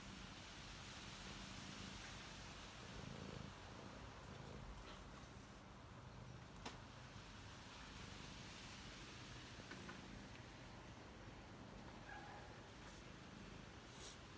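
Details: Domestic cat purring while Coiler keeps company with a visiting tabby; a soft, steady low rumble runs faintly through the recording beneath a constant background hiss, with a few faint clicks.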